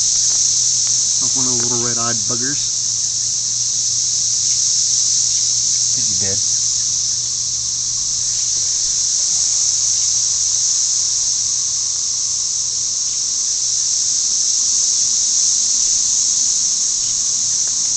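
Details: A deafening, steady, high, hissing drone of cicadas singing in chorus near a house, males calling for mates, with a man's voice briefly.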